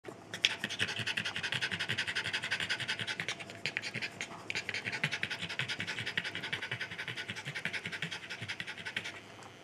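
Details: Norwich Terrier, out of breath, panting rapidly and steadily, about two to three breaths per second of breathy rasping for the whole stretch, with a brief scratch near the start.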